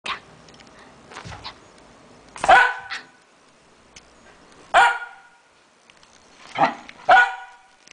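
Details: Pet Fox Terrier dog barking: four sharp, loud barks spaced irregularly across eight seconds, each a brief burst with bright harmonics, over a quiet indoor background.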